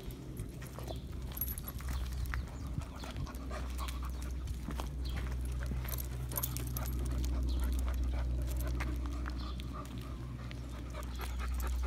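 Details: Sheyenne, a young Irish Setter, on her first walk to the park on 23 June 2022, stumbling and amazed by new sights and sounds; quick, steady panting at about four breaths a second over a heavy low rumble of wind and handling.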